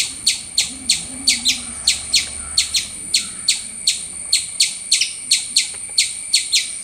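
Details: Squirrel making loud, rapid high chirps, about three each second, some notes doubled, in a steady insistent rhythm against a quiet background.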